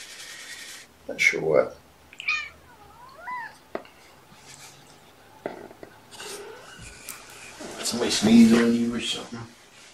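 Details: Kittens of the mother cat Olympia, watched indoors on a morning in February 2018, give short high mews and a wavering, bending cry, with a person talking nearby, loudest near the end.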